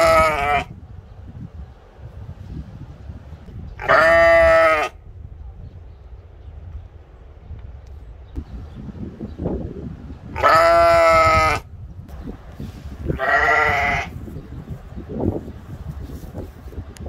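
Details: Ram kept at a Latvian mini zoo in Ventspils, recorded April 2021, repeating rich, quavering baas of under a second each, four in all, with quiet gaps, faint thumps and low ambient noise between calls.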